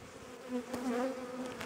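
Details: Honey bees of a colony under inspection in April, aggressive, during requeening: a steady droning hum with wavering higher tones, and brief clicks of handling.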